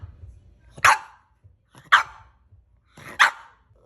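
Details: French Bulldog barking: three short, sharp barks spaced about a second apart, each a bright broadband burst over a quiet background.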